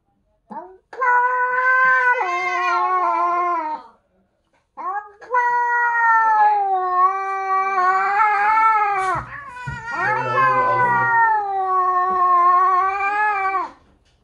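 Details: British Shorthair and Bengal cats 'trash talking' indoors as the new British Shorthair is introduced to the family. Long, wavering, harmonic caterwauls rise and fall in pitch, with a brief break near four seconds and overlapping growly yowls later.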